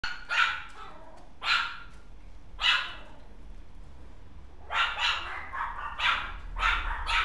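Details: Dog filmed on 28 January, giving short, sharp barks, three spaced about a second apart, then a pause and a quicker run of five more barks, with a faint low hum underneath.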